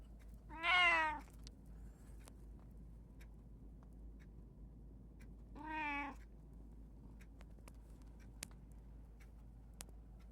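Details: Domestic cat from a household of three, a tabby, a short-legged Munchkin and an Abyssinian, recorded 28 August 2024: two clear, drawn-out meows about five seconds apart, the first higher and wavering, in a quiet room.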